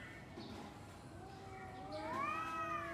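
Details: Two domestic cats trading calls before a fight: a low steady moan gives way to a louder rising yowl that swells and holds near the end.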